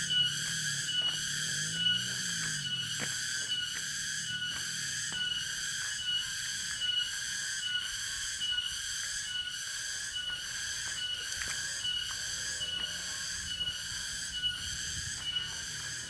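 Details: Tonggeret cicada from Dago in Subang, West Java: continuous high, ringing buzz pulsing about once a second, with some faint low background noise and a brief low sweeping sound early on.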